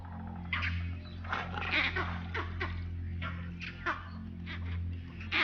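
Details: Vervet monkeys chatter in harsh, rapid bursts in the distance, alarm calls raised against a leopard and echoing a bird's barks, pinpointing where the leopard is, from the direction of her den.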